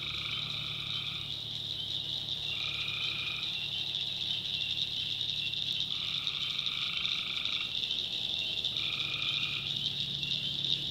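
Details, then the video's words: Tree frogs calling at night in a swamp in the North Carolina backwoods: a dense, steady high-pitched chorus overlaid by four drawn-out, nasal two-toned croaks, each about a second long, spaced roughly three seconds apart. "Relaxing Swamp Sounds at Night - Frog Heaven - Frogs, Crickets, Forest Nature Sounds"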